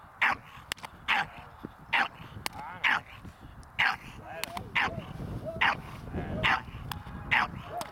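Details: Staffordshire Bull Terrier puppy named Ares during protection training with a dog handler, giving short sharp barks roughly once a second, repeated about nine times, with a man speaking underneath.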